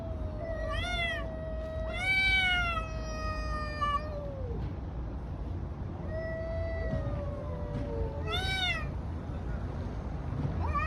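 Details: Fighting cats on a street: rising and falling moaning yowls, interrupted by sharp harsh screeches around the middle and near the end, against a low steady outdoor rumble.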